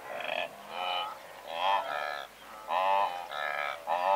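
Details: From a herd of several hundred blue wildebeest at medium-close range, short nasal honking calls follow one another quickly, about one per second, overlapping with more distant grunts.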